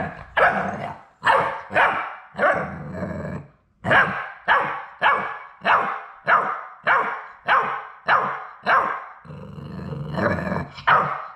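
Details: Labrador Retriever puppies from Sadie's litter, the final three at High Desert Labradors on their last day before going to new homes, bark in a steady run of short, sharp yaps, about a dozen in quick succession with brief gaps.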